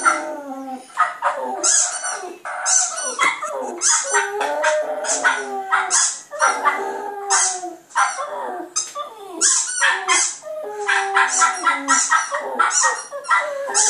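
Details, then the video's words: Continuous howling from Clyde, a Border Terrier puppy, aimed at a computer: overlapping yelps and drawn-out wavering howls with falling glides, barely pausing across the whole stretch. "clyde puppy howling at computer"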